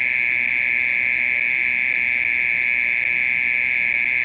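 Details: Nighttime song of a mole cricket, a loud, even, high-pitched trill held without a break, part of calling that lasted more than thirty minutes.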